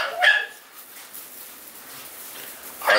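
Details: American Bully pocket puppies, two months and two weeks old, kept in Romania, give two short, loud, high barks, one at the start and one at the end, separated by a quiet gap with light background hiss.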